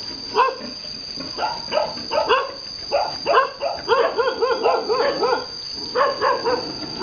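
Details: Vietnamese farm boar mounting a virgin female sow: rhythmic, rounded grunting calls come in quick bursts, about one per second, with a faint constant high-pitched hum underneath.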